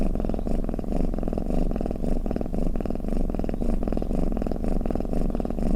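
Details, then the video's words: Snoring cat: a continuous deep, buzzy purr that rises and falls with each breath, roughly two breath cycles every second, in an otherwise quiet setting. "เสียงแมวกรน เปิดให้แมวฟังเคลิ้มๆไปเลยค่ะ | Snoring Cat"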